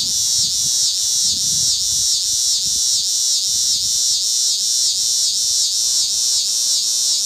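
A cicada sings a loud, hissing buzz that swells and dips in steady pulses, about two or three a second.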